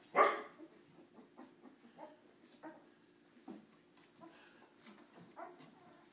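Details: Cardigan Welsh Corgi puppies misbehaving indoors: one sharp, loud puppy bark opens, followed by scattered soft yips, whimpers and light scuffling sounds in a small room.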